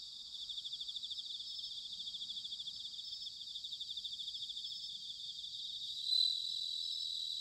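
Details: Autumn chorus of bell crickets recorded in Sanuki, Chiba Prefecture: a high, rhythmic, pulsing trill of many insects layered together, with one brief louder chirp from a closer singer midway.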